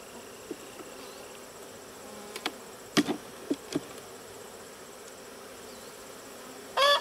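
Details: Western honey bees in a crowded hive during an inspection, a steady low hum filling the background with several sharp knocks and clicks of hive parts being handled and a brief loud scrape at the end.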